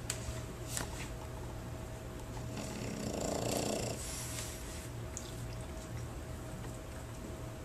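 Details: A French Bulldog at a board-and-train dog training facility snores with a low, steady rumble that swells briefly into a louder, rattling breath.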